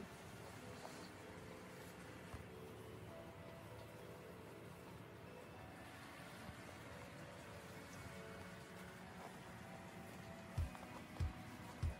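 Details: Low, steady rumble with faint music and rain-like hiss during a rainy-season night, a few soft knocks near the end, no animal voice.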